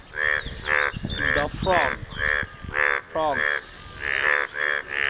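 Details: After rain, frogs call to impress a partner with hoarse, buzzy croaks in an uneven rhythm, some overlapping, mixed with drawn-out downward-sliding croaks from other callers nearby.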